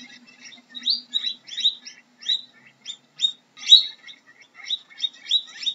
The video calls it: How does a Guinea Pig sounds